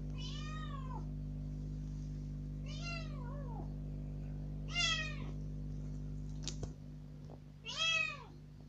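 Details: Young rescued house cat, out of its cage for the first time, cries insistently to be let outside; four drawn-out, downward-curving meows with a brief clatter near the end, steady low hum behind.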